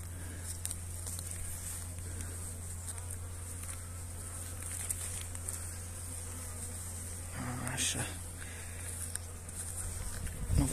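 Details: Honey bees being fed energy cakes on 29 January in very pleasant weather; a low, steady buzzing hum runs throughout, with faint tapping and handling noises toward the end.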